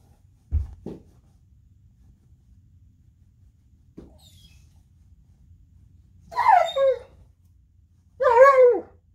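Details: Gunner, a purebred male Alaskan Malamute, howling and crying while playing in bed in the morning; after a few soft low grunts come two long wavering, bending howls with falling ends, each lasting about a second.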